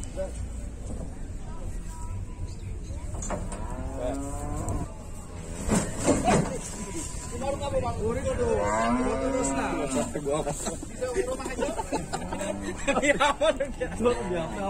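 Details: Cows and bulls being unloaded from a vehicle give repeated hoarse, wavering moos and bellows, several overlapping, over steady engine rumble and clatter.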